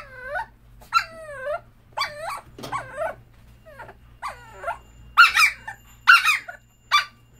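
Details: A young dachshund in a hospital cage, tested negative for distemper, gives high, wavering whines about once a second, each rising then falling, turning into sharper, raspier yelps as it pleads to be let out.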